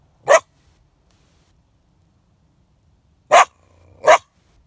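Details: Snared coyote held in a live market snare, uttering three abrupt, harsh barks: a single bark, a long pause, then two in close succession, with near silence between them.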